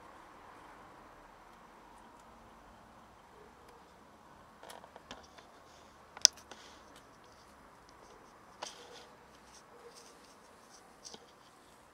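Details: Quiet indoor room with scattered sharp clicks and taps over a faint background hum, and no animal calls.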